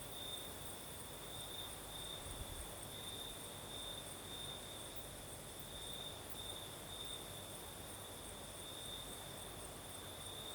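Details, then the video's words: Southern Crimea at night, crickets singing in a light night breeze: a constant shrill trill holding one high pitch throughout, over a soft low background hiss. "Сверчки поют"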